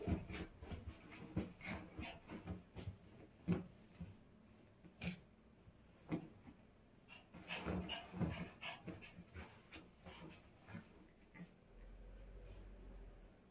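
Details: A pet dog plays excitedly with its toy doll, panting in quick rough huffs and snorts that come in irregular bursts, busiest around eight seconds, with a steady low hum during the final two seconds.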